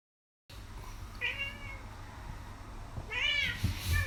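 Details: A happy cat named Kisuke, sunbathing and pushing its rear up while a hand strokes it, lets out two short, bright meows about two seconds apart against a quiet low background hum.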